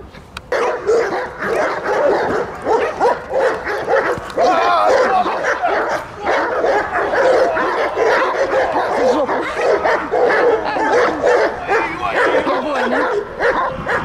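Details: Belgian Malinois on the attack in guard and protection training, STRAZH service dog centre, Odesa, Ukraine: fierce, continuous volleys of loud barks with almost no pause, a voice faintly audible underneath.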